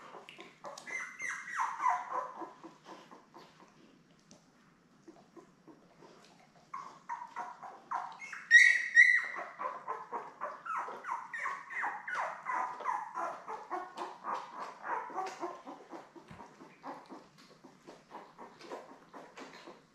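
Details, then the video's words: Litter of seven newborn Labrador Retriever puppies, born May 24, 2021, beside their mother Belle: bursts of squeaky whimpering and crying, one sharp higher squeal near the middle, then a long run of repeated whines fading out. "Lab Puppies LIVE STREAM Puppy Cam"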